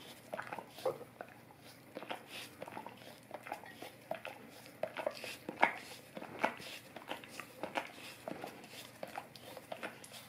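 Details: Golden retriever licking an Orapup tongue cleaning brush indoors in a small room: soft, wet smacking clicks arriving in uneven bursts, some louder slurps standing out, with a quiet room background.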